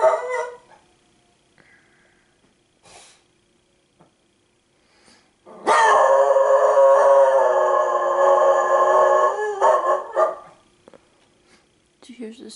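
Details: Howling from Piper, a pet female dog, set off by sirens and by a person howling, before she turns cuddly. Faint scattered sounds lead into a sustained, loud, even howl of about five seconds. A brief voice follows at the end.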